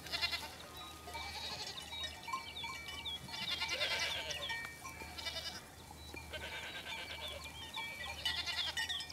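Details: Domestic goats in southern Corsica, where goats are a regional speciality kept since prehistoric times; several quavering, high-pitched bleating bursts at irregular intervals over a steady faint background tone.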